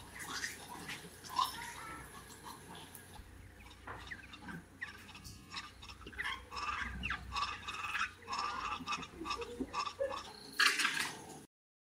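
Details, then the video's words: A noisy vervet monkey in Ethiopia gives harsh chattering calls with short grunts and squeals in quick bursts. "Vervet, Ethiopia - Noisy Vervet monkey - Sound effect"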